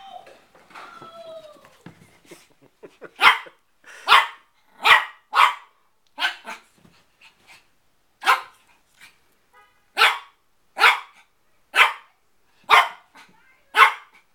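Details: Shih Tzu puppy, a four-month-old male, barking at his own reflection in a mirror while playing: sharp yappy barks, first a few soft whines and squeaks, then about a dozen loud barks spaced roughly a second apart.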